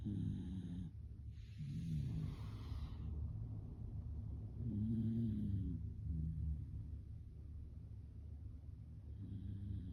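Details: Snoring Shiba Inu dog, deep low rasping breaths swelling and fading in long drawn-out snores, one louder hissing exhale near the start, steady soft room hum beneath.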